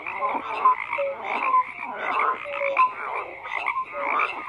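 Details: Several frogs croaking in rhythmic rasping bursts roughly every second, with sharp squeaky whistles and short level tones sounding between the pulses.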